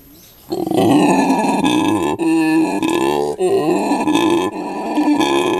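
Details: Captive howler monkey, a male with his mate and three young alongside, at Monkeyland, South Africa; after half a second of quiet, loud rasping grunting roars begin and continue in throaty, rhythmic bursts.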